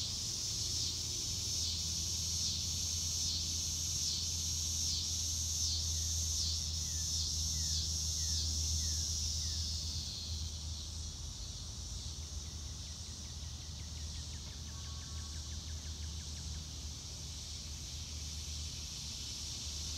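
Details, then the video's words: Crickets in a natural outdoor setting on a sunny day, recorded in real time: a high trilling drone pulses rapidly for about ten seconds, then thins and steadies. A few faint descending chirps and a low hum are also heard. "Nature Sounds - Real Time - No Music - Meditation - Crickets"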